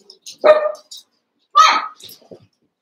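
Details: ['Two shrill barks from wrestling Cavalier King Charles Spaniel puppies in a pen, spaced about a second apart, with small clicks and scuffles between.']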